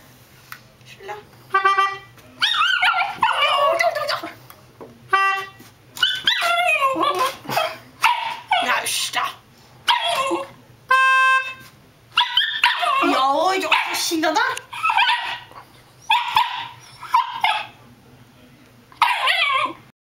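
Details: Norfolk Terrier indoors reacting to melodica playing: steady reedy melodica notes alternate with yappy barks and whiny vocal outbursts, the dog's voice mixing with the instrument throughout.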